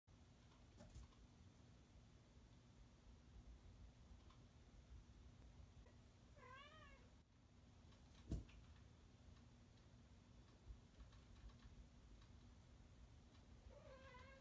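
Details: Harpo, a male cat who dislikes anyone getting between him and the camera, gives two faint, short rising-falling meows in a quiet room, separated by a sharp click.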